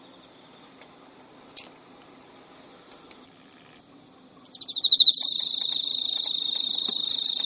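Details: Male Emma field cricket kept as a pet in Japan, calling at midnight in early September 2011 while chasing a female that refuses to mate; faint scattered ticks, then a loud, high, continuous shrill trill swelling in.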